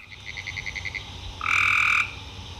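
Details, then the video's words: Spring peepers (frogs) calling: a quick run of short, high chirps, then a single loud, piercing whistled peep held for about half a second. "Frogs peepers"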